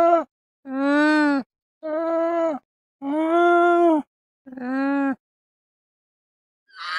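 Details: An alpaca, a small domestic South American camelid, gives a series of steady, nasal, harmonic calls, each lasting under a second.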